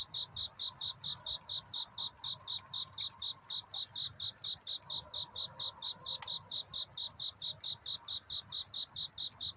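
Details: Cricket singing at night in courtship, searching for love, relaxing night to dawn scene: clear high chirps repeated steadily about four times a second at one even pitch, with faint soft clicks and low background hum.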